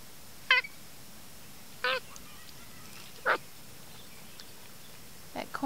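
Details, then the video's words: A small monkey eating corn behind a fence makes short chirping calls, each a brief harmonic burst, spaced about every one and a half seconds, with faint quieter sounds between. "Cute monkey sounds while eating corn"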